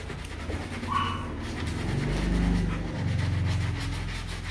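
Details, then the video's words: Excited Rottweiler at the Gervi kennel in Vietnam greeting its owner after three days away. Fast, rough panting fills the clip, with one short high whine near the start and a person speaking softly. "Cảnh chó đón chủ về nhà sau 3 ngày đi công tác"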